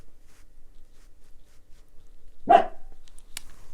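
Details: A male black-and-tan dachshund barks once sharply in the background indoors, then a few faint clicks follow.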